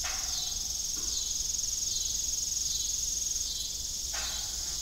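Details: Crickets chirp steadily in a high, continuous shimmering trill on an evening farm beside an old windmill.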